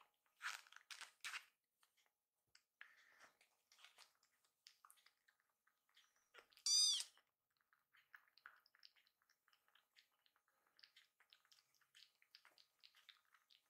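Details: Two hungry rescued baby kittens, fostered from a volunteer group, angry at a delayed feeding while milk cools; a few scattered faint mews and rustling, then one loud high-pitched rising meow near the middle, followed by quiet chewing and clicks indoors.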